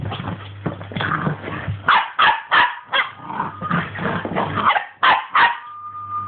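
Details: Puppy barking: a rapid run of short, sharp, high-pitched yaps, several each second, some stacked close together, ending in a brief thin whine, over a steady low hum.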